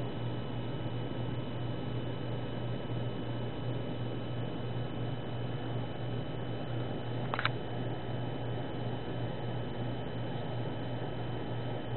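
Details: Steady fan-like hum and broadband hiss fill a small indoor room, broken only by a single brief click near the middle, with no animal voice audible.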